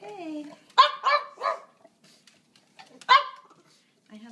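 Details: Pet dog at dinner time, earlier than normal, giving short sharp barks: three quick barks, a pause, then one more, with a person's voice and kitchen clatter in the background.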